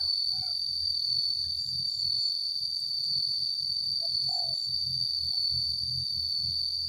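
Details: Cicadas give a steady, unbroken high-pitched drone that holds one shrill tone with a fainter upper layer throughout. A low rumble sits underneath, and a few short mid-pitched bird notes break in.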